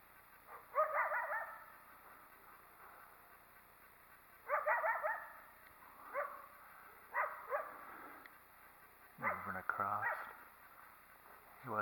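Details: Wild coyote near what may be an active den, objecting to a nearby person: hoarse barks in short bursts, some drawn into wavering yelps, coming every one to two seconds against quiet background.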